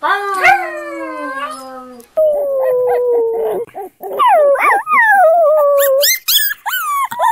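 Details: Puppies howling with long sliding wails, one falling low and steady, another rising then dropping in a wavering cry, followed by short yips and bark-like bursts.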